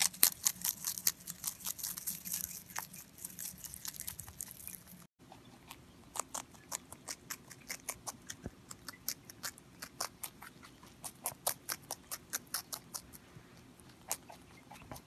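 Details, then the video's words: Crunchy chewing by Pontan, a pet rabbit, in a small quiet room; dense rustling bites first, then after a short break a long series of light, sharp crunches, roughly two to three per second. "ぽんたんうさぎの色々な咀嚼音｜Eating sounds of Pontan Rabbit"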